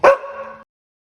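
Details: A dog gives one short, sharp bark that trails off into a brief tonal tail lasting about half a second, then silence.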